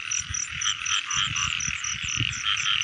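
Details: Rainy-season frogs, with adults and young being caught: many overlapping bright croaks pulsing rapidly and evenly, a continuous high drone, and scattered low thuds and splashy rustling from movement.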